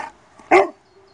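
A Cane Corso lets out one short, forceful bark with a strong harmonic tone. The bark is given on command as a trained response, with faint background noise before it.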